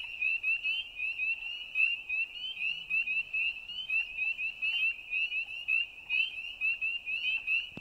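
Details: Nighttime frog chorus of shrill, quickly repeated chirps pulsing without break, several frogs overlapping, with a faint low murmur in the background.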